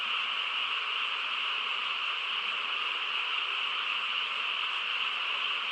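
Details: Night in the quiet countryside carries a massed frog chorus: a continuous buzzing drone of countless overlapping voices, level and unbroken throughout.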